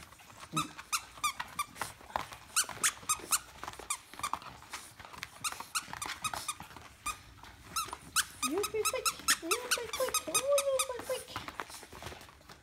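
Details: White male Bulldog puppy indoors; thin high squeaky whines, some rising, stand out late on against constant clicking and rustling handling noises.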